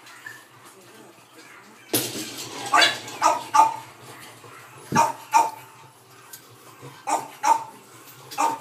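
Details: Sleeping Boston Terrier puppy, born May 3, lets out a sudden louder yelp followed by a string of brief nasal squeaks and whines, spaced unevenly across a quiet room.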